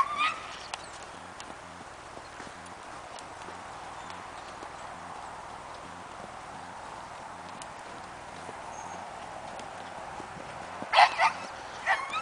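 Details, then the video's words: Cantering Tennessee Walking Horse moving in its natural rocking chair gait: faint, evenly spaced hoof thuds under a continuous rushing background, then a couple of short dog barks break in near the end. "Rocking chair canter on a Tennessee Walking Horse!"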